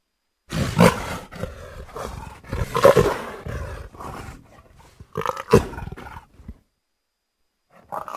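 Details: Leopard producing a series of gruff, throaty roaring bursts of varying length, several louder peaks rising and fading over six seconds, then a short final burst after a pause.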